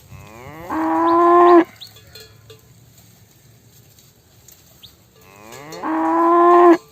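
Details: A cow being fed at the LXML mining site gives two long, loud moos, each rising then holding a steady, harmonic-rich tone.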